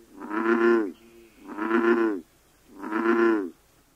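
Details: American bullfrog, October 2010, at one of only three known breeding sites in the UK: three low, buzzy, moo-like calls, each nearly a second long, repeated steadily with short silent gaps between them.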